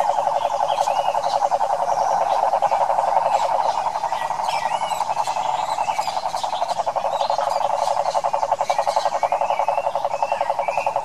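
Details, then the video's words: Chorus of wild cane toads, Pantanal, Brazil: loud, continuous mid-pitched pulsed trilling from many callers rising and falling in waves, while scattered bird whistles and chirps sound higher up. "SAPOS CANTORES selvagens pantaneiros"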